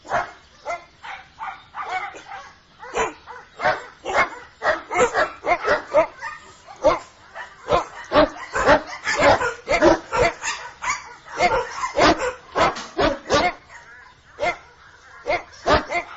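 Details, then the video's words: Dogs barking while playing, searching and rummaging: short sharp barks and yips in irregular bursts, roughly two per second, some overlapping, with quieter gaps between volleys. "Woof woof,dogs, dog sounds, dogs play, search, rummage, bark"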